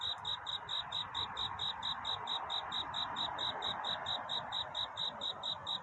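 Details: Cricket singing a courtship song at night toward dawn: sharp, high chirps repeated steadily several times a second, each with a bright ringing overtone, over a soft broadband hiss and a faint low rumble.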